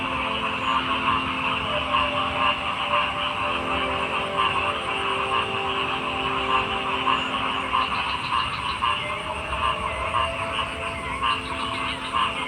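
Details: Frogs croaking in a dense, continuous chorus, with layered pulsing calls stacked at several pitches and a steady high shrill hum running throughout, no pauses across the whole stretch.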